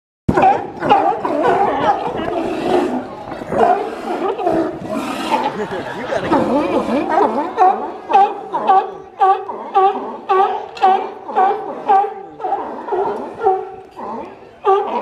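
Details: Sea lions at a dock, recorded in 2018, give loud, hoarse barks that overlap at first. In the second half the barks fall into a steady series of about one per second.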